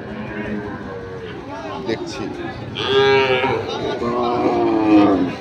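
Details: Sahiwal bull calves at Ambari cattle market in Dinajpur, 6 November 2023: two drawn-out moos come in the second half over a steady background of crowd chatter and market noise.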